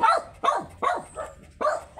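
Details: In Pangasinan, a very small Shih Tzu at a stud session gives four sharp, high barks in quick succession, each one clipped and bright, with a brief pause before the last.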